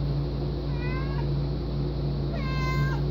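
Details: A very vocal pet domestic cat meows twice, two short harmonic meows about a second and a half apart. The second meow is longer and slightly falling. A constant low background hum runs throughout.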